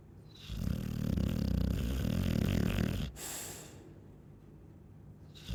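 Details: ['Loud, sustained snore from a Chow Chow, a deep vibrating rattle for about two and a half seconds, followed by a hissing out-breath and the start of the next inhale.']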